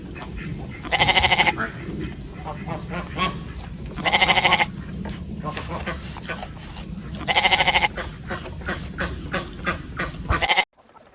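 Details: Goat bleating in three loud, wavering bursts, each about half a second to a second long, spaced roughly three seconds apart, over a steady low background hum with softer sounds between calls.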